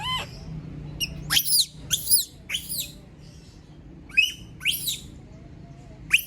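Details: Abandoned female monkey screaming: harsh, piercing shrieks in quick succession, each sweeping upward, with brief pauses and a low background hum throughout.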